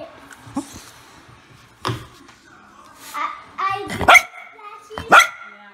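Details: Bichon Frise dogs in a compilation of pet moments. A few sharp, harmonic barks burst out near the end, the loudest two about a second apart, while people talk and laugh playfully in the background.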